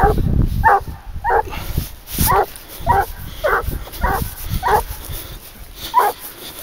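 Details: Leashed boar-hunting dog, 22 months old, giving repeated short barks at an uneven pace of roughly one per second while working a wild boar trail, a man talking underneath and rustling ground noise throughout.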